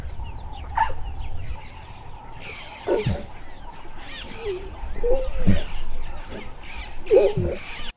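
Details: A lioness in Southern Africa calling her cubs gives soft, short, wavering moans and grunts at irregular intervals, over a low rumbling background and a steady high insect hum.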